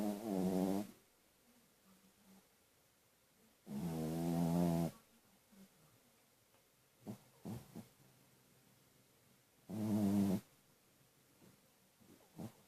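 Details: Pet dog snoring while asleep: three deep, rasping, throaty snores about three to six seconds apart, each lasting under a second, with faint soft snuffles and small breathy sounds between them.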